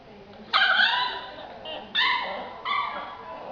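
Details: Young yellow Labrador Retriever, aged two months, lets out three drawn-out tonal yelps, whiny and slightly falling, each lasting about half a second, amid a person urging it in Portuguese to give its paw.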